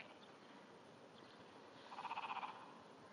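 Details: Japanese wrinkled frog calling from under grass at 5:30 am on 16 June 2009, a trembling call of small vibrations: one pulsed, rattling burst of about half a second, with a low hum behind it.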